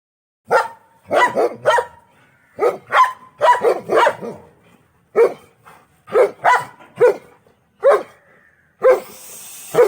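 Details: German Shepherd kept at home, called Pappi, barking in short sharp bursts, often in pairs or threes with brief gaps, ringing and mid-pitched; the room is otherwise quiet apart from a hiss near the end.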